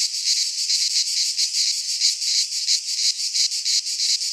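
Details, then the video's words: Greek pine forest cicadas in midsummer producing a high, grating buzz that rises and falls in regular throbbing waves about every quarter second, with nothing else audible. "Cicadas singing in midsummer - Nature sounds from the Greek fauna - Sounds of cicadas"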